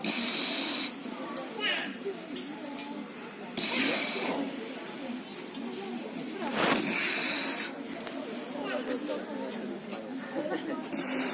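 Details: Sleeping seal at the Hel seal sanctuary snoring, with loud breathy hissing rasps about every three seconds. Visitors chat steadily in the background.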